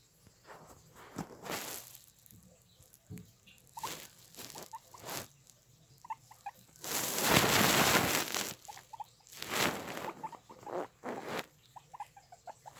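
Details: Guinea pigs give short, clipped mid-pitched chirps in small clusters between loud bursts of rustling and shuffling, with one long scraping noise near the middle.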